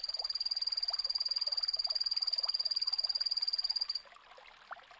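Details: Epipedobates anthonyi, the phantasmal poison frog, calling: a steady high buzzy trill of about ten pulses a second lasting four seconds, stopping abruptly, followed by faint background noise and a small click.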